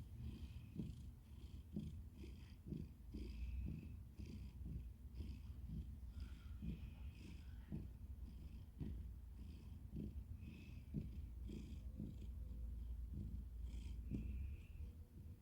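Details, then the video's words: Domestic cat purring close up: a low, steady rumbling purr with soft rhythmic pulses of breath throughout, strongest in the deep bass, with faint higher hissy overtones on each breath. "Cute cat Fluffy making purring noises"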